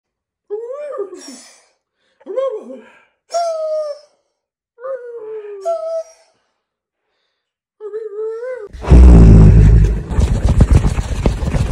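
A borzoi gives short, wavering howls in bursts about every second or two, then a loud rustling clatter.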